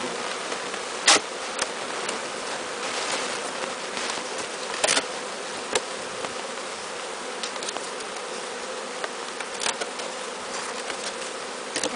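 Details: Bees from a swarm taken from a tall tree, being walked into their new hive, make an unbroken buzzing drone, with occasional sharp taps and clicks.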